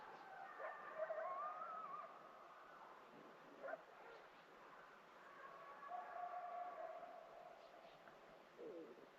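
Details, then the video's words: Wild gray wolves howling on a cold, freezing morning near a backcountry camp in Yellowstone, long drawn-out, slightly wavering tones overlapping in a distant chorus, with quiet wind and camp noise. "The wolves are howling this morning."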